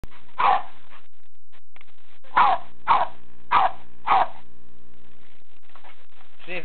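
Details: Welsh Terrier, described as a little big dog, barking: one sharp bark, a pause, then four quick barks in a row about half a second apart. Faint voice sounds follow at the end.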